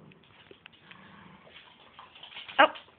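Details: Dog playing indoors on a rainy day with a visiting foster pit bull puppy: a sudden sharp high yelp near the end, after quieter scuffling, soft whines and faint background voices.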